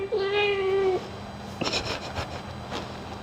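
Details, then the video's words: During ear cleaning, a kitty gives one clear, flat, drawn-out meow lasting nearly a second. Soft clicks and handling noises follow as the grooming continues. "Cat Ear Cleaning ASMR Grooming"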